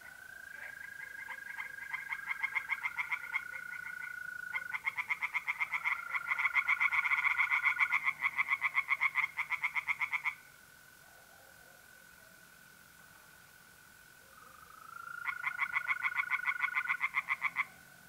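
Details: Singing tree frogs at a pond by night in April, north-eastern Italy: bouts of rapid pulsed croaks stop for several seconds and then resume, while mole crickets keep up a continuous steady trill.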